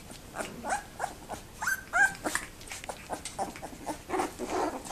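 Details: Two-week-old Labrador Retriever puppies, very active in their whelping box on 7 December 2011, give a busy stream of short high squeaks and yips, several overlapping, some with brief rising whines, about three per second.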